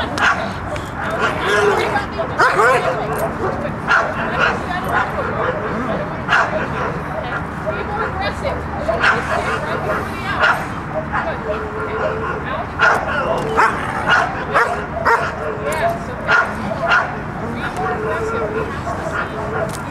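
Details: Protection-work session with the dog Mako practising the bark after the out: a steady run of loud, clipped barks at an uneven pace throughout, mixed with a trainer's spoken coaching.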